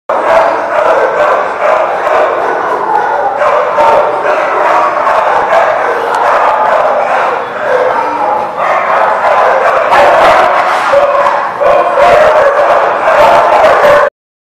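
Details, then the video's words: Dogs at The Barking Lot, 1/6/20: a dense, nonstop din of overlapping barks and yelps, loud throughout with no clear pauses, cutting off abruptly near the end. "The Barking Lot"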